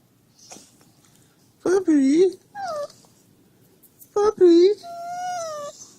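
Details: Husky acting as an alarm clock, whining at its owner to get up: short bent whimpers in bursts, then a longer sustained whine, with the owner talking softly.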